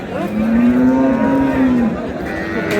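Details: Cow with calf at Ambari cattle market in Dinajpur, Bangladesh, gives one long, steady, low moo lasting about one and a half seconds, rising slightly then falling, over market chatter and vehicle noise.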